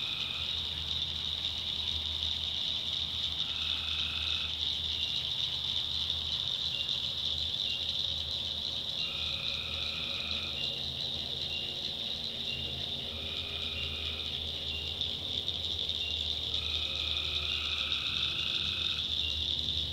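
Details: Tree frogs in a night-time North Carolina swamp deliver brief trilled calls every few seconds, each with a higher overtone, set against a steady high-pitched cricket and frog drone.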